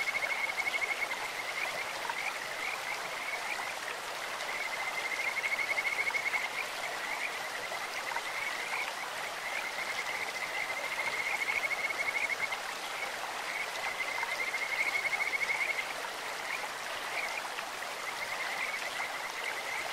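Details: Kajika frogs calling in a clear stream: high, sweet whistled trills, birdlike, recurring about every five seconds in phrases of one to two seconds, over a steady rushing hiss of flowing water.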